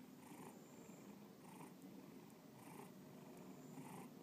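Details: Domestic pet cat purring indoors close to the recorder: a continuous low rumbling purr that swells and eases in a steady rhythm about once per second, following its breathing.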